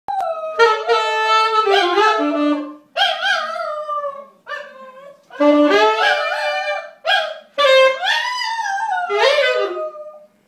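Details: A spaniel howls along to a tenor saxophone; long wavering, sliding tones rise and fall among the sax's held notes, phrases separated by short pauses, with the howling clearest near the end.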